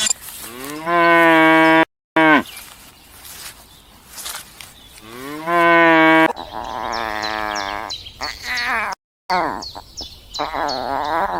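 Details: Farm cows mooing: two long, steady, resonant moos about four seconds apart, each around a second long, followed by higher wavering animal bleats and some clatter.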